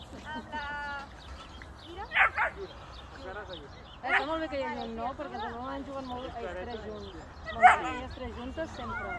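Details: Jack Russell Terrier playing with other dogs; excited high yips and whining barks with wavering harmonic tones, several sharp bursts at intervals, with people talking in Spanish in the background.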